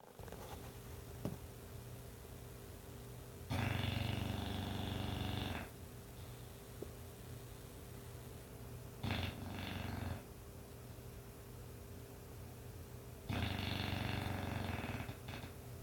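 An English bulldog snoring in rough, rattling bursts every few seconds.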